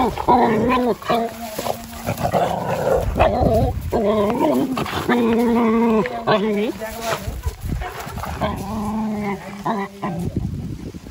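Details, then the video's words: Excited dog at a farm house reuniting with its siblings and owner, giving repeated high whining and yelping cries among a person calling to it. "Dog Is So Excited To Reunion With His Siblings And Owner"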